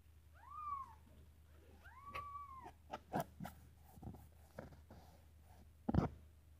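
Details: Khao Manee kitten, a Thai breed, giving two short arched meows in quick succession, each rising then dropping. Soft thumps and tapping sounds follow in a quiet indoor room.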